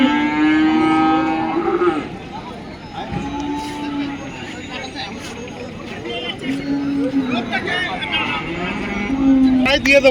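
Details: Cattle at the Dhaniakhali cattle market, held every Friday: several long, low, drawn-out moos with rich harmonics, each lasting one to two seconds and spaced a few seconds apart, over a background of human voices and passing vehicles.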